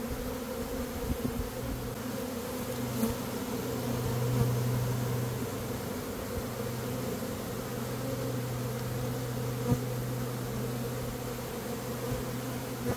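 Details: Swarming honey bees in early May, the dearth just over, as a beekeeper works to catch the swarm: continuous low, thick buzzing that swells slightly midway, with occasional soft clicks.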